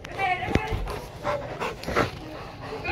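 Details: Two over-excited Labrador Retrievers whose play turns into a small fight; short harmonic yelps and whines broken by breathy panting and scuffling, with human speech mixed in.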